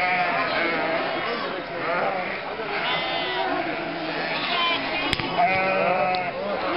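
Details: Spring drive of close to 1,000 sheep, lambs and goats through Mörnsheim's historic centre, Altmühltal Nature Park, May 2012; repeated trembling bleats from many animals, spectators chatting, and one sharp knock.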